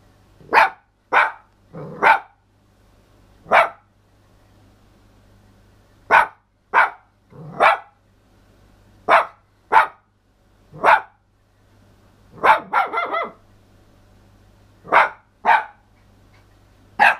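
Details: Missy the toy poodle giving a rapid string of short, sharp yelping barks indoors, irregular, roughly one every second, with one brief wavering howl near the middle, over a faint low electrical hum.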